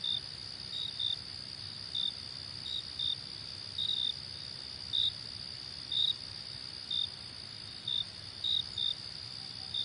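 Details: Bright, short cricket chirps, some doubled, recurring around once per second over a steady high-pitched insect chorus.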